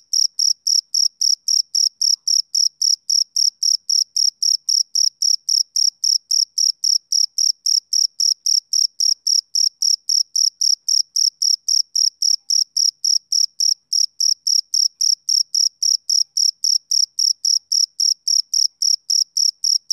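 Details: Steady rhythmic chirping of a male cricket on a summer evening, a long, unbroken series of uniform high, shrill pulses at about three to four per second over a silent background.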